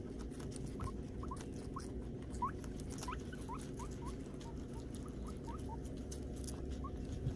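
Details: Armani, a Peruvian guinea pig, getting his first haircut: a run of short, quiet rising squeaks, some in quick pairs, scattered across the recording over a steady low rumble and soft patter.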